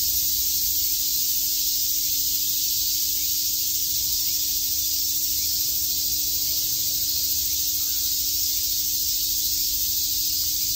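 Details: Cicadas chirping en masse in Tokyo's Shakujii Park on a summer day, their unbroken high-pitched droning filling the air evenly from start to finish, a low mechanical-sounding hum faintly present.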